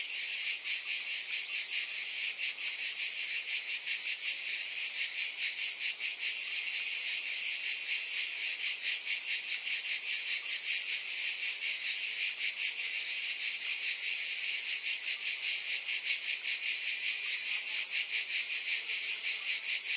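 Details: Continuous high-pitched cicada droning, a thick sizzling buzz pulsing evenly about two to three times a second for the whole stretch, with no background noises.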